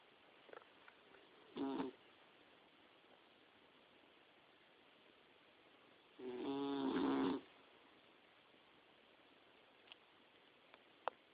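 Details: Dixie, a Boxer puppy aged about four to five months, asleep in bed; a brief snort-like snore followed about five seconds later by a longer vibrating snore, with a few soft clicks and taps around them.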